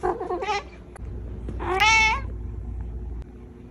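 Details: Kitten meows, a short wavering cry followed by one louder, longer meow that rises then falls, over a low room hum.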